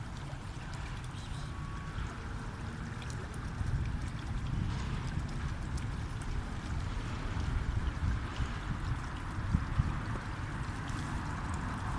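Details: Steady low rumbling and gurgling water noise, with no animal voice standing out. The sound stays even throughout, much like a boat or a flowing stream.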